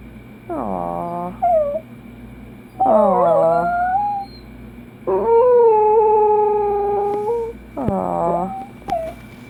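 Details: A Dachshund alternates whimpering, rising yelps with a drawn-out howl held for about two seconds. The calls come in separate bursts with short pauses between them.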